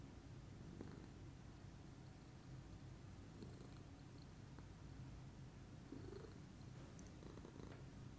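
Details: Continuous low, even purring from a relaxed lilac Scottish Fold cat in the morning, a quiet droning hum without pauses, small clicks and rustles scattered on top.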